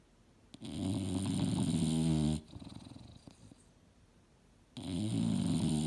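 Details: Mildred, a female English Bulldog, asleep and dreaming hard on a couch indoors: two loud, low, rumbling snore breaths with a raspy, harmonic buzz, separated by a quieter exhale with faint snuffles.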